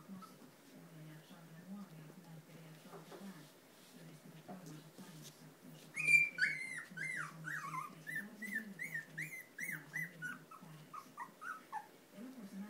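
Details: Tibetan Terrier puppies of a B litter whimpering and squeaking indoors in a small room; high thin whines begin around six seconds and repeat in quick irregular bursts, over low rumbling background and faint voices.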